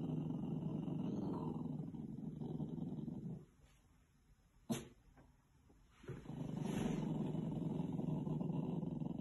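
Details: Female puppy Thistle growls at a stranger she sees in the mirror, her own reflection, on an Irish farm in County Kilkenny: sustained deep rumbling growls broken by a quiet gap with a single sharp knock.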